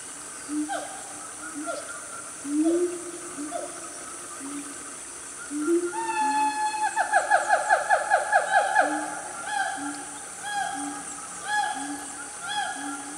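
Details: Siamangs, a loud family of gibbons in Malaysia's Gunung Nuang forest, Selangor, mid-morning: spaced low hoots and downward swoops build to a fast run of rising whoops near the middle, then slower calls, with insects buzzing throughout.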